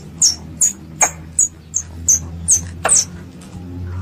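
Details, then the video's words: Pest squirrel calling its mother: a run of sharp, very high, thin squeaks repeated roughly every 0.4 seconds, each short and slightly falling, with a faint low hum underneath. "THE SOUND OF A SQUIRREL CALLING ITS MOTHER"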